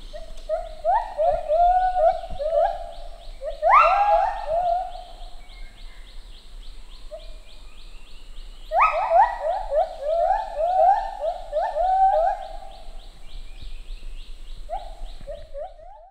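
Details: Male and female lar gibbons duet, singing together to build social bonds, with synchronised notes at regular intervals: bursts of clear hooting notes that rise and quicken into rapid, rhythmic series, then pause, with phrases returning around four, nine and fifteen seconds.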